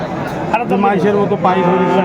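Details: Friesian and cross-breed bull calves at Aftabganj cattle market, Dinajpur, on 10 September 2024; a low, steady, harmonic moo holds through the second half, half-buried under dense crowd chatter and bargaining voices.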